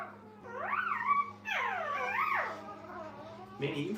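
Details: Dog puppies with their mother at a kennel: two looping, rise-and-fall whines, the second longer and wobbling, then a burst of broadband rustling noise at the end over a faint steady hum.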